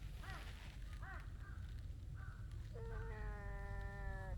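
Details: Impatient stray tabby cat wanting to be petted; a few short chirping sounds at the start, then a long, level meow with rich overtones near the end, over a low outdoor background hum.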